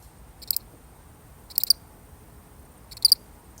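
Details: Single lonely cricket heard faintly: three brief, high, buzzy double-pulsed chirps over about three seconds, with low background noise.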